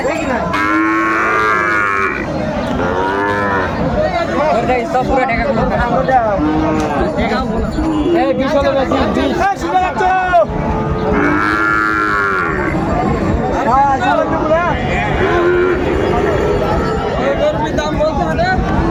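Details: Lowing of Sahiwal bull calves amid a busy Gaibandha cattle market, 13 May 2024; loud, long moos with strong overtones recur roughly every few seconds, several animals overlapping, with steady human chatter throughout.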